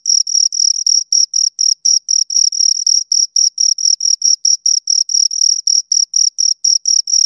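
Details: Close-up chirping of two crickets, shrill rhythmic pulses of uneven length, some drawn out and others clipped short, as the two calls run together into a busy, irregular stream.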